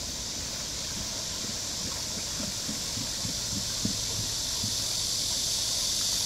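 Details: Cicadas hold a steady, high, hissing buzz over the splash and knock of a turning water wheel at Namsangol Hanok Village, Seoul, on 12 August 2024.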